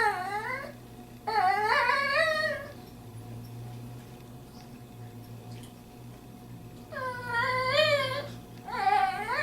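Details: Female pet dog, brought along on a visit to a friend's home, whining to say she wants to go home. Her voice sounds almost human: two long, wavering, rising-and-falling whines at the start, a quiet pause, then two more near the end, indoors.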